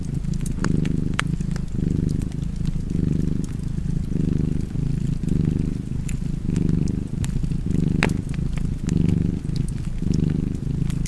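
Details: Relaxed domestic cat purring by a fireplace, deep buzzing rumble in steady breath-length pulses, accompanied by sharp intermittent crackling of burning wood.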